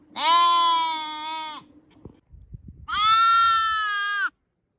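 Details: Sheep bleats, two loud, clear, sustained calls over a second each, separated by a short gap with soft rustling and a click.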